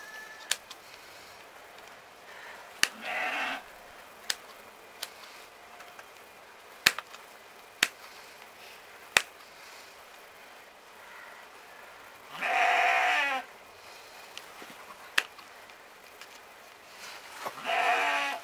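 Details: Romanov sheep bleating while its hooves are trimmed in spring 2019, Tver region, Russia; the flock spends most of its time in a stall. Three nasal bleats, brief then longer, amid sharp clicking of shears and faint human voices.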